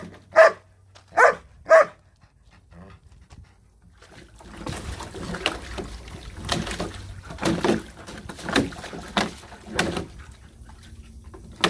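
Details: German Shepherd dog giving three sharp, loud barks in quick succession within the first two seconds, followed by a long stretch of scraping, rustling noise with short bursts and no clear further barking.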